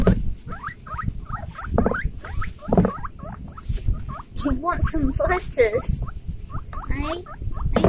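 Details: Two young male guinea pigs give a rapid series of high, rising squeaks, several per second, excited on hearing a bag because they expect food.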